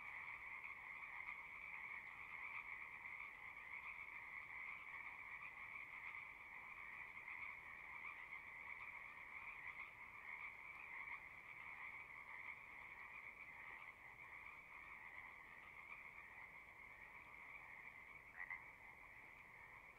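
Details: Singing frogs heard more faintly, a continuous trilling chorus over a soft hiss of background noise, with one brief sharper call standing out near the end.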